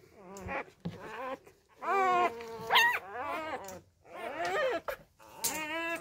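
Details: Newborn Labrador Retriever puppies being hand-fed fresh milk after their first-time mother deserted them; high, wavering whines and squeals that rise and fall, several overlapping cries in quick bursts with short pauses between.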